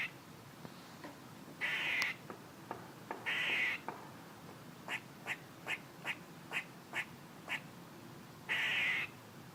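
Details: Squirrel making noises: three harsh, buzzy, half-second bursts and a run of crisp, short chucks spaced roughly every half second.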